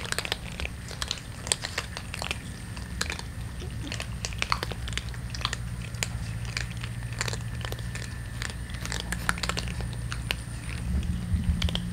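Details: Street cats and a kitten eating indoors in a small room: steady crinkling, biting and chewing clicks over a low constant hum, with no meows or other animal calls.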